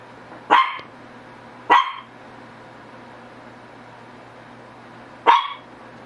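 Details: A Shih Tzu gives three sharp barks: two close together in the first two seconds, then a pause of over three seconds before a final bark, with a low steady hum behind.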